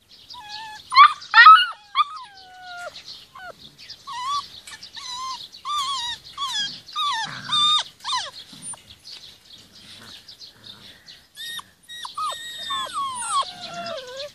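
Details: Garden time for 46-day-old Rhodesian Ridgeback puppies with their mother; a loud yelp burst opens, followed by steady high whimpers and falling whines, roughly two a second, from more than one pup.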